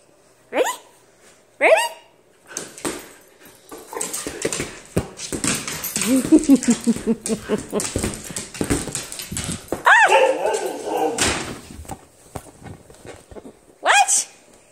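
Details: Nala, a pet husky, plays boisterously in a messy house. Two sharp barks open the clip, followed by a busy stretch of scuffling, grumbling and a rising whine. A final bark comes near the end, with people talking nearby.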